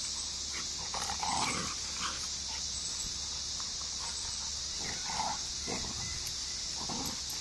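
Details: A Rottweiler puppy gives short, rough growls and grumbles while play-wrestling with a mixed-breed puppy in a back yard, over a steady high hiss.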